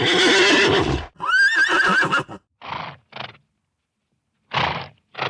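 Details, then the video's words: Farm horse giving a loud harsh snort, then a high wavering neigh that rises and quavers for about a second, followed by several short breathy snorts separated by pauses. "What does a Horse sound like?"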